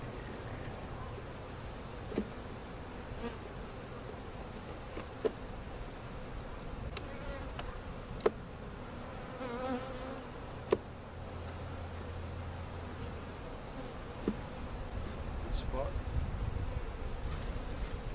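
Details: Honey bees from a giant hive cutout being placed in their permanent location at Jerome Bee Farm, Central Oklahoma, filmed on a camcorder: steady low droning hum of many bees throughout, with scattered sharp clicks and knocks from handling the hive.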